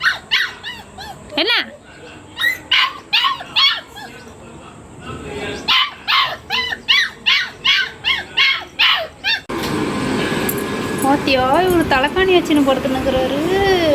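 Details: Labrador Retriever puppy, a pet at home in a Tamil-speaking family: a run of sharp, evenly spaced yaps and barks, roughly two a second, then whining, high wavering whimpers under louder background noise and human voices.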